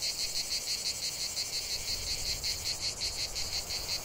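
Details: Cicada. A cicada chorus fills the air with a shrill, continuous buzz. Within it a high, rattling pulse repeats quickly and evenly, roughly three times a second, without pause.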